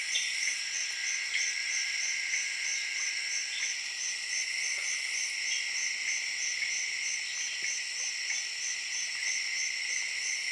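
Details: A dense late-evening chorus of tree frogs in the Zaire jungle, high and pulsing, woven with steady cricket chirping.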